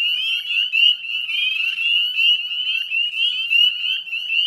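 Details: Northern spring peepers calling together in a wetland at West Chezzetcook, Nova Scotia, at dusk in mid-May 2020; many piercing, upslurred whistles blend into a steady shrill chorus with no other sounds standing out.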